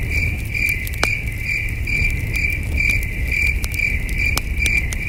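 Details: Night crickets at a peaceful campsite under the stars, trilling in quick regular pulses at a high pitch throughout, while a campfire snaps and crackles and a soft low rumble fills the background.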